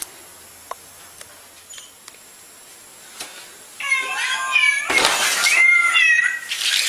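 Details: After several quiet seconds with faint taps, a cat lets out a long, strained, wavering meow, overlapped partway through by a loud burst of noise.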